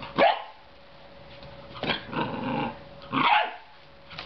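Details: Belgian Shepherd Groenendael puppy Leo at his new home, attacking a dangly cat toy: a sharp bark, then a drawn-out rough growl, then another loud bark, over a low steady hum.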